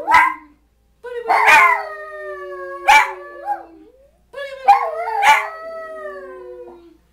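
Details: A Schipperke and a hound, kept as pets, howl along to the booty boo song with their owner. Long, steady, slowly falling tones with rich overtones come in three drawn-out bouts separated by short pauses.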